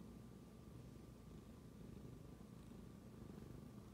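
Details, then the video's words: A tabby cat purring indoors after smelling its owner's phone; a steady low rumbling purr with rhythmic pulses throughout, fairly quiet, with a faint constant hum in the background. "Tabby cat suddenly starts to purr after smelling my phone"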